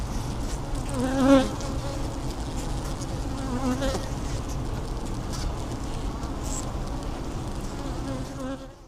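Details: A dense, droning hum of honey bees inside the hive, with brief tonal buzzes rising above it, social noises among bees against the frames, on a warm, humid day of about 20°.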